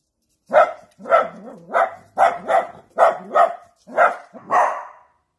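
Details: Rapid run of about nine sharp barks from a Dachshund, often coming in quick doubled pairs, the final bark longer and hoarser, with clean silence before and after.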